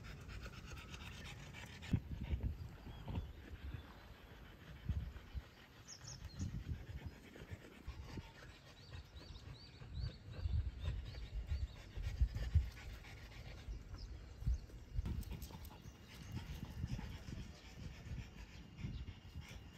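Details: Family of French Bulldogs, a mother and her daughter, out on a walk at Miharu Dam in Japan; rough, rapid breathy panting in low bursts throughout, with footsteps and outdoor rustling.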